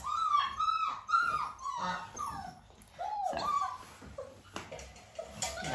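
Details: Nearly six-week-old Dalmatian puppies whine during a clicker training session with their mother Arya nearby, giving thin, wavering whimpers that rise and fall, several in quick succession, then a pause and a few softer whines inside a small room.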